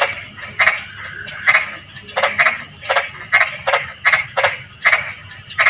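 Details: Frog chorus in light drizzle: clusters of brief rasping croaks, roughly two per second, beneath a steady piercing insect hum.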